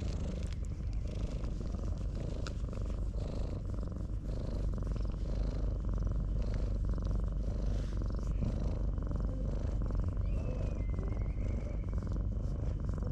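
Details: Ginger tabby cat, having pushed a rival cat aside to keep a person to itself, seeks affection with a steady, low, rumbling purr that runs unbroken through the whole stretch, with faint outdoor background.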